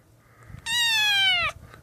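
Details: A rescued kitten, found lost and abandoned in the street, lets out one long, steady, high meow that drops slightly at the end, indoors with a person cooing softly around it.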